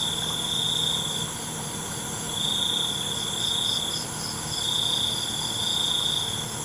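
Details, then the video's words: Cricket singing at night (suara jangkrik): high, thin trilled bursts of one to two seconds, spaced by short gaps, with a steady chorus of insects and a faint low engine-like hum beneath. "ALUNAN CENGKERIK MALAM"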